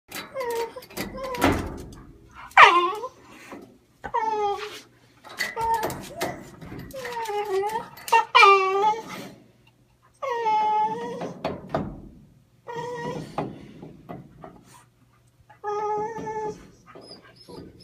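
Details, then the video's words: Pet dog indoors whining for a pipe it wanted badly: repeated high nasal whines rising and falling, some short and broken, others drawn out, coming in bursts every second or two, with some speech and knocking sounds. "Dog whining for pipe"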